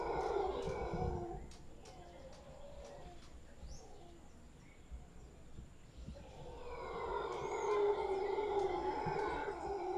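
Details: In Guanacaste, a big troop of howler monkeys in a tree roars hoarsely, falls quieter for several seconds with light clicks and chirps, then resumes a rich, booming roar that grows stronger.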